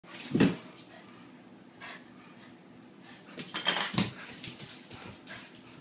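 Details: Two dogs, a Rednose Pitbull and a Lhasa Apso, face off. One sharp, broadband bark-like burst comes near the start, then a rougher cluster of louder bursts around the fourth second, with quiet background between.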